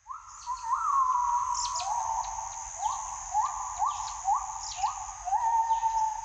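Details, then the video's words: Gibbons calling in the morning: a run of clear, rising whooped notes, each swooping up then holding level, repeated roughly every half second to second, over a steady high insect hiss. "ASMR เสียงยามเช้าชะนี"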